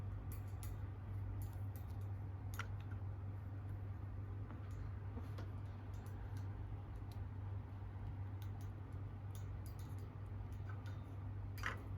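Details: A low steady hum in a quiet small room, broken by scattered soft clicks and ticks, with no animal voice.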